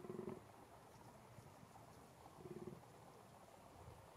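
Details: Rutting fallow deer, 2021, in a small game enclosure in Český ráj, Czech Republic; two short, low, grunting groans about two seconds apart, fairly faint against a steady outdoor hum.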